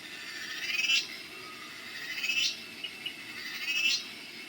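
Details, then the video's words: Cicada, locally called cheeveedu, giving three high, hissing buzzy bursts. Each swells and fades about every one and a half seconds over a faint steady background hiss. "Cicada sounds/Cheeveedu"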